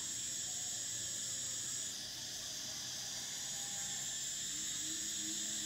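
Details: A summer cicada chorus giving a constant high, hissing whine that dips once early on, with faint low tonal notes underneath.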